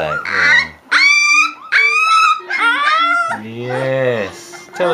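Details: Leonberger puppies, three weeks old, let out loud, sustained whining cries that bend up and down. A lower voice is heard beneath them.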